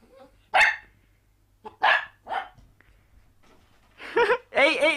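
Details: Puppy indoors in a pet compilation, giving several short, sharp yapping barks spaced about a second apart, followed by a person talking to it.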